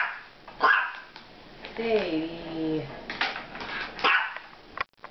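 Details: A female Miniature Pinscher meeting two Maine Coon cats "talks up a storm" with sharp, high yapping barks and a wavering, drawn-out whining vocalization while her owner tells her not to bark.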